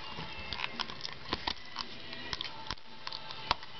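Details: Scattered soft taps, clicks and light patter indoors over a low background hum, with no animal voice heard.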